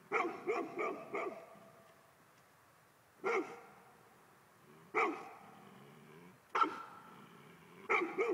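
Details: Male Golden Retriever barking in bursts: a quick run of four barks, then single or double barks spaced about one and a half seconds apart, each bark bright and harmonic, quiet between.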